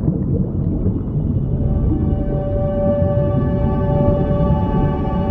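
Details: Whale calling underwater: a sustained low tonal moan with stacked harmonics that slowly strengthens over a dense rumbling low-frequency background.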